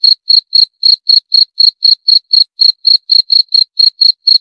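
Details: Short burst of cricket song: sharp, high-pitched chirps at a steady four-per-second beat, clean and uninterrupted.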